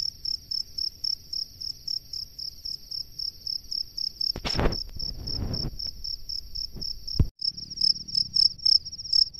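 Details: Male cricket calling a female from its nest: regular high chirps continue throughout, interrupted midway by a loud handling thump and rustling noise, then the chirping resumes more clearly.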